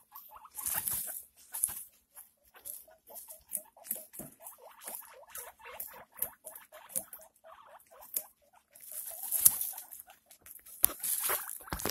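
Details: Pet guinea pig during the birth of six pups: a long run of short, high, descending squeaks, several per second, with soft rustling and occasional louder bursts of bedding noise.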